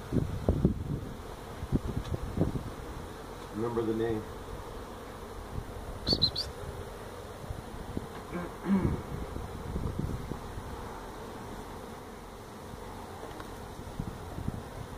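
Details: Feral honey bee colony nesting in a tractor tire at a citrus orchard in Mission, Texas, disturbed during removal: a continuous low droning swarm hum, with a few clicks and taps and a brief murmur of voices.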